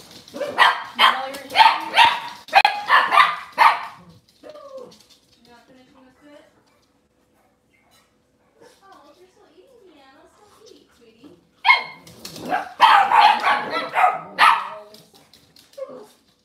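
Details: Cavalier King Charles Spaniel barking indoors at a kitchen camera on a cloudy Monday morning: fast clustered yaps for about four seconds, a quiet gap with soft voices and faint whines, then another burst of rapid barks.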